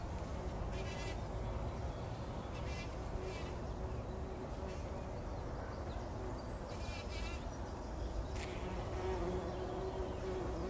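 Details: Several bumblebees rolling in poppy blossoms in the early morning before sunrise, 2019; a steady low drone hums throughout, with short high chirps from birds breaking in now and then.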